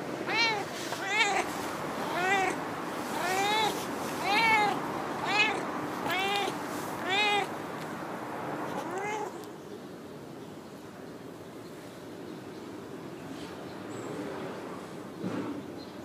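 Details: Chatty female stray cat from a park car park, whose territory is not wide, utters a quick run of about eight short arched meows in nine seconds, then falls quiet leaving only low background noise.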